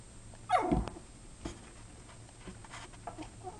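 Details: Hero, a puppy, lets out his first bark indoors: one short, loud, yelping bark falling in pitch, then soft rustles and faint low grumbling noises in a quiet room.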